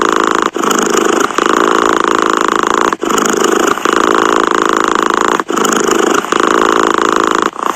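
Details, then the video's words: Cat purring steadily, a continuous rough buzzing hum broken by short pauses roughly every two and a half seconds as breaths change, in a quiet indoor setting. "Tiếng mèo kêu gừ gừ dễ ngủ, thư giãn - The sound of a cat snoring helps you sleep"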